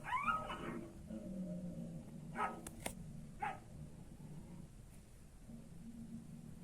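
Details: Young Kangal shepherd dogs in constant rivalry, play-fighting before their teeth have fully come in; a short harmonic whining yelp opens, then faint scuffling and a low rumble of background noise.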